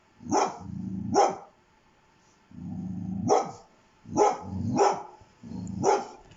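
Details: Domestic dog giving short, loud barks, each led in by a low rumbling sound, with a quiet pause in the middle, six barks in total.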